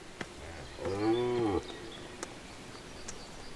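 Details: During the red deer rut in Serbia, a dominant stag guarding his hinds from rivals gives one deep, drawn-out roar of about a second, rich and throaty with a slight rise and fall, then quiet with faint clicks.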